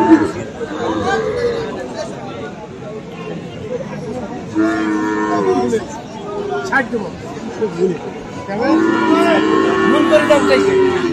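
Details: Cattle lowing at the Aftabganj market, Dinajpur, on 21 February, where Friesian and crossbred bull calves are sold. Two bursts of moos stand out midway and toward the end, set against busy chatter and shouting.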